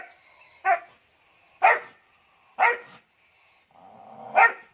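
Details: Dog barking in a series of four loud, sharp barks spaced about one second apart, each a short broadband burst with quiet gaps between and a faint low hum before the last bark.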